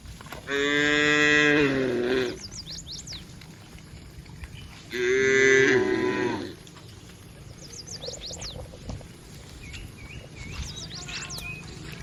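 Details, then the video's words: Herd of tame cattle heading toward the barn, giving two loud, long, harmonic moos about four seconds apart, each with a falling tail; small birds twitter in the quieter gaps. "Suara Puluhan Sapi Moo"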